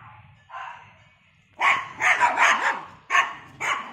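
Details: Poodle, third generation of its line, out for a morning walk through a residential complex. One soft bark comes first, then a pause, then a rapid run of harsh barks, with two more loud barks spaced near the end.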